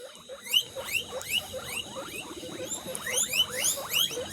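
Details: Guinea pig at a birthday celebration, uttering a fast series of thin, high-pitched squeaks that sweep upward, about two or three each second, over a low rumbling background.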